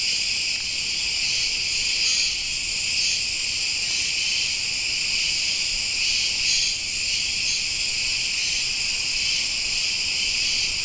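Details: Cicadas chirping in a dense, continuous high-pitched buzzing chorus that holds steady throughout, with faint pulsing swells every second or two and no other clear sounds.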